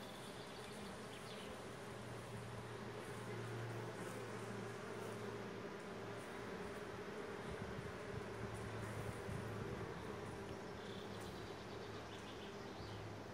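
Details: Many bees gathering and crowding into the hive as a storm approaches; a continuous thick droning hum, swelling slightly in the middle, with a low mechanical rumble underneath.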